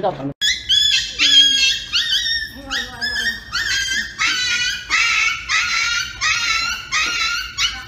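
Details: A dog reacting as it is about to get an injection gives loud, high-pitched yelps and wails. The pitch bends up and down in rapid bursts about once a second, with a short human voice at the very start.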